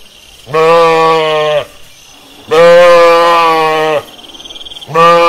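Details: Sheep bleating in a pasture: three loud, sustained, slightly wavering bleats roughly two seconds apart, separated by short quiet gaps with faint pulsing background noise.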